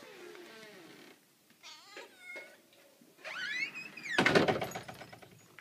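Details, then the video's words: Indoor cats mewing in a rapid sequence of short, rising and falling calls, interrupted near the end by loud thumps and knocking like a door banging. "Gatti miagolano divertenti"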